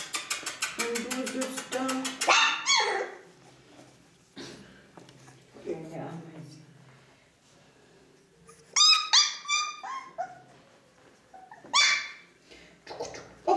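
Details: Ca de Bou puppies at four weeks, from parents Bea and Bubu, yap in sharp high barks and squeals in bursts with pauses, while a woman chats to them.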